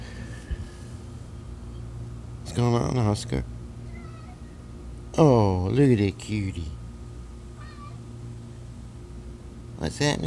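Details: King Oscar the cat roams his Cat Condos on a long morning walk. He gives loud, drawn-out, harmonic-rich meows near 2.5, 5 and 10 seconds, bending down in pitch, over a steady low mechanical hum.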